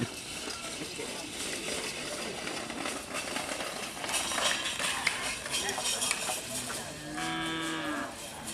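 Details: Madura cattle at karapan sapi bull race training on the Asemanis field, Madura island, East Java, Indonesia; a drawn-out, low, harmonic-rich moo rises near the end over steady crowd chatter and outdoor bustle.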